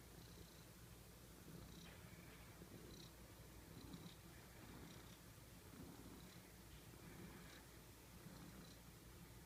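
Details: Soft, low purring or snoring from a cute house cat, a steady rumbling drone with gentle breathy pulses recurring every second or so, set against constant hiss.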